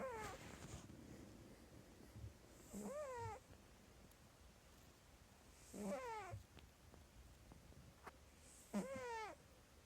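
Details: Sleeping pet cat with squeaky snoring: thin, whining squeaks that dip and curl upward, each under a second, recurring about every three seconds, with quiet breathy gaps between.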